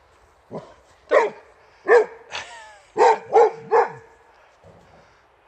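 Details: Rex, a male Boxer living outside Landskrona in southern Sweden, barks at the wheelbarrow that has taken his favourite toy; six sharp, fairly low barks and a yelp come in an irregular burst with short gaps.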